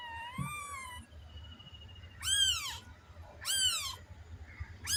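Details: Cat voicing a high, steady mew followed by two loud descending meows about a second apart and the start of a third, over a low background rumble.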